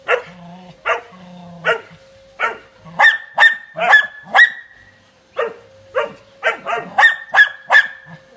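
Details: Eleven-month-old Doberman puppy giving repeated loud, harsh barks, roughly fifteen in eight seconds, in uneven clusters with a short pause midway; a faint steady hum runs beneath and a person speaks just beforehand.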